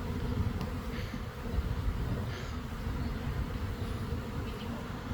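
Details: Several thousand honey bees swarming in the air from a hive kept in an old hot-water heater core: a dense, steady low drone that fills the whole stretch, with faint crackles above it.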